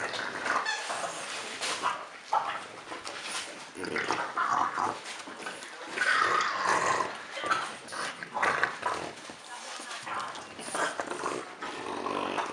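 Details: French Bulldog at Christmas time, giving rough, snorting grunts and low growl-like noises in uneven bursts, with a few louder rasping stretches near the middle and steady rustling throughout.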